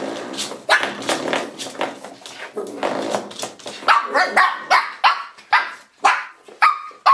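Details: Misty, a Shih Tzu puppy, attacking a door stop: grumbling growls and scuffling noise at first, then a run of short yappy barks roughly every half second through the second half.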